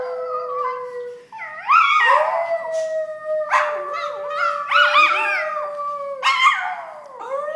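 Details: Adopted pet poodle howling on cue, a trick the owners discovered recently: a long, steady, clear howl that breaks into several wavering, rising-and-falling wails, with brief yips between phrases.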